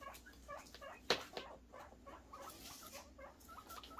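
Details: Guinea pig boars calling out happily for food, with rows of short, bent, squeaky notes repeated in quick succession, plus a loud sharp knock and light rustling in an indoor space.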